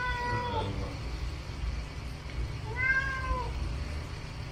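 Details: House cat demanding at the refrigerator that used to hold its favourite dried sardines, clinging to the door; two plaintive, descending meows roughly two and a half seconds apart over low room hum.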